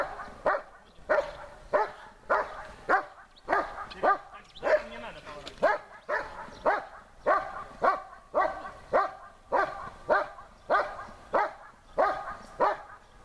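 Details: German Shepherd Besser in protection work, barking at the helper while searching under harder conditions: a long, steady run of powerful barks, roughly one every half second for over thirteen seconds, with a short broken patch midway.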